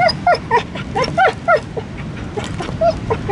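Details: Wild dog on Easter Island yelping and whimpering in quick, shrill, bending notes, several per second, then trailing off into softer whines, with constant low engine-like rumble behind.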